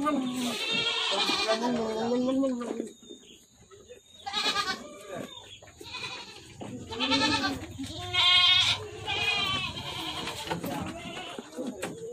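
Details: Several goats at an Indonesian goat farm, one giving a long, low, wavering bleat, then shorter, higher quavering cries from others, with people talking and pen noises in the background.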